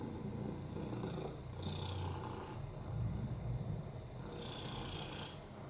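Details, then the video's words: Oliver, a rescued FIV-positive domestic cat with a broken hip and upper respiratory infections, purring on a lap: steady low rumble with two breathy, hissing swells as he breathes, around two and five seconds. "Oliver the Purr-ing Lap Cat"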